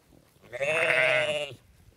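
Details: Sheep bleating once on a farm: a single steady, slightly wavering baa lasting about one second, rich in harmonics, with no other sounds around it.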